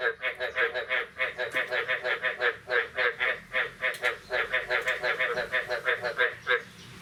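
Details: Frogs calling on the morning of 9 May 2022 after the year's first rain: rapid, nasal, honking croaks repeated about three times per second, overlapping into a steady pulsing chorus that fades out near the end.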